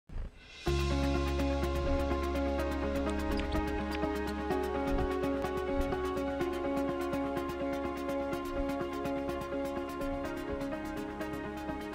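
Steady electronic background music with sustained harmonic tones and a regular beat, with no animal sounds.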